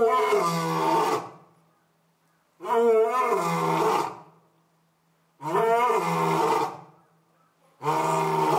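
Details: Orito, a young male lion at Asahiyama Zoo, filmed on the morning of September 15, 2022, just after his mate Io gave birth; loud harmonic roars about one second long, each followed by silence, repeated about every two and a half seconds.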